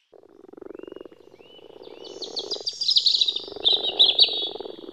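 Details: In early spring in Germany, frogs and toads gathered in woodland ponds to spawn give low, purring croaks in dense pulsed runs, while sharper chirping notes rise above them toward the end.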